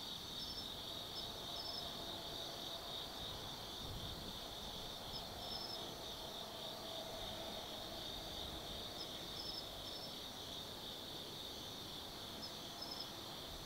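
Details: Autumn insects calling after dark at Tsukimi no Mori, Gifu Prefecture, Japan, overlooking the Nobi Plain: unbroken high buzzing trills with short bright chirps recurring every few seconds, plus a low hum like distant traffic.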